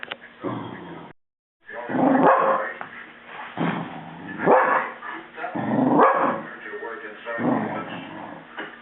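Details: Lola, a pet Dachshund, barks at a running vacuum cleaner indoors: loud, sharp barks in clustered bursts, several per few seconds, over a steady motor hum, with people talking in between.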